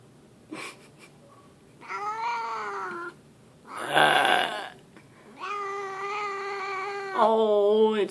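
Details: Grumpy pet cat Leo, who yowls out of the blue, gives several drawn-out, level, moaning yowls, each lasting one to two seconds. A loud human burp comes between them, and the last yowl turns wavering and higher.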